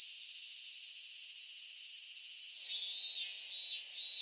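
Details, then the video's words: Cicadas in a Japanese summer at Michinoku Folk Village and Kitakami Tenshochi, Kitakami, Japan: a dense, unbroken high-pitched shrill fills the air steadily, with a faint lower buzz joining in partway through. "夏セミの鳴き声 ミンミンゼミから夕方のひぐらしまで"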